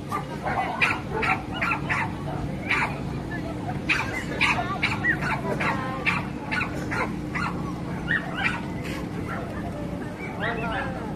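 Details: At a dog show where sibling dogs made their debut, dogs give a long run of quick, punchy barks. Some come in tight clusters and others stand alone, over a constant low hum and faint background chatter.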